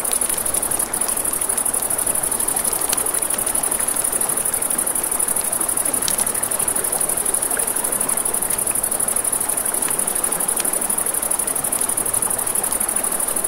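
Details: Crickets at night beside a river: a steady, very high, shimmering pulsed trill runs through the whole stretch over rushing river water and crackling campfire pops.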